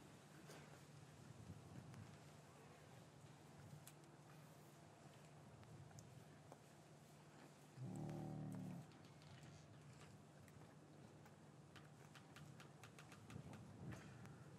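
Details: Cow lowing in a traditional English cattle yard on a winter afternoon, after the calves were separated from their mothers; one deep, steady moo of about a second stands out over a constant low hum, faint shuffling and scattered clicks. Recorded with a matched pair of Rode M5 microphones.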